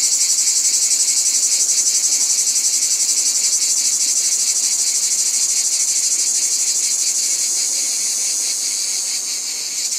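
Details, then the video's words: Cicadas in a steady, dense, high-pitched buzzing chorus that pulses rapidly, several beats a second, holding an even loudness throughout, with no other clear sounds. "Cicadas | Black Screen Sounds"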